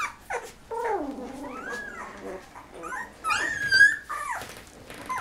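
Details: Thirteen-day-old Golden Retriever puppies from a litter of 11, eyes just opening, kept indoors: drawn-out wavering whines sliding up and down, with sharper squeaks near the end.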